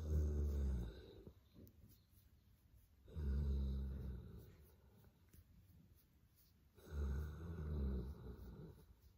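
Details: Molly, a female Boerboel, snores through a lazy morning while enjoying cuddles and a head massage indoors: deep, rumbling low snores rising and fading, with three long breaths spaced about three seconds apart and quiet pauses between.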